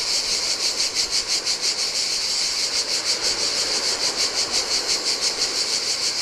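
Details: Cicadas singing in the heat on a desolate Greek island beach by the Adriatic sea: a dense, high buzzing chorus pulsing about three times per second, with a soft wash of surf beneath.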